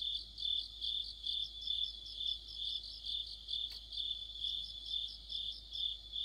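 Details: Deepening autumn sound of crickets and fellow insects beside a streetlight, a bright unbroken trill with regular pulsed chirps roughly twice a second and a single faint click partway through.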